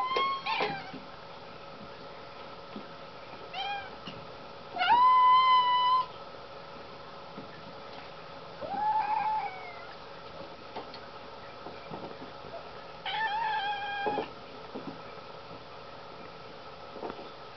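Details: Several hungry house cats meowing at dinner time, expecting food; a series of clear, drawn-out tonal meows, some rising then level, spaced a few seconds apart, with a person's voice and faint household noise between.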